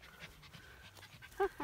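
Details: Four-week-old Norwich Terrier puppies, three in the litter, at Mouchnice on 25 August 2018; soft breathing and rustling, then two brief high squeaks near the end over a steady low hum.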